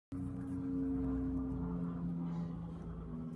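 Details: A steady, droning engine rumble with a low hum throughout, with no animal voice.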